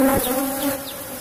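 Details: Brief burst of Asian honey bee (Apis cerana) hum from a cultivated box hive during honey harvesting: an even low drone with a clear overtone and a short knock at the start.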